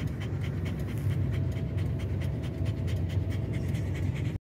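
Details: Dog panting, stressed by noise outside while a tyre is being changed: rapid, steady, breathy pants in an even rhythm, about six per second, continuing without a break until the sound cuts off abruptly.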